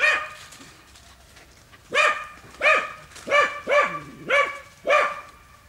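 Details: Dogs baying at wild boar inside a training enclosure: after a quiet start, a run of six sharp harmonic barks spaced about half a second apart.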